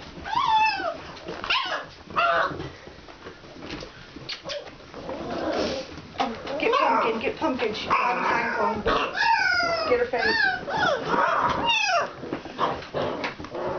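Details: Puppies of the Alaskan Malamute breed, Kalamals Kennel, out for their first time outside: repeated high whining yelps with falling and rising slides, several pups crying over one another, with faint voices in the background.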